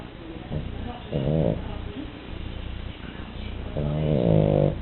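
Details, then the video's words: Snoring from a French Bulldog fast asleep, one short rasping inhale followed later by a longer, louder harmonic snort, with soft wheezy breathing and low background hum. "Bulldog frances Duna roncando"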